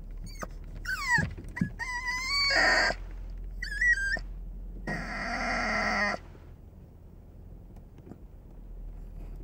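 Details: A Chihuahua sits on a car dashboard and cries endlessly for its father, who got out of the car, in high, wavering whines that rise and fall.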